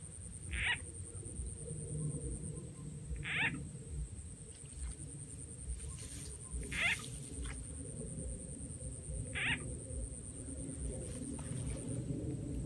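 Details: Frog calls during frog catching with a played frog sound effect in rural Rizal N.E. Short bright croaks appear at irregular intervals of about three seconds, four in all, over a steady low rumble and a constant high hiss.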